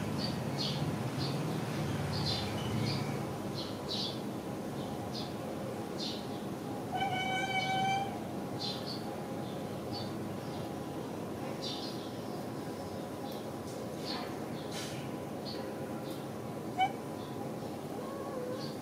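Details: Domestic cats and kittens at a pagoda; one clear, harmonic meow lasting about a second sounds near the middle, over a steady hum of background noise with scattered soft clicks and rustles.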